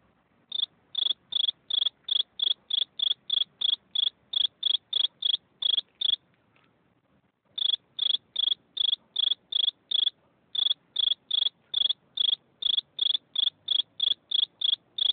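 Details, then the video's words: A lone cricket chirping steadily, sharp high-pitched pulses roughly three per second in long runs, broken by a silent stretch of about one and a half seconds and a shorter pause later; background very quiet. "Eine Grille beim zirpen"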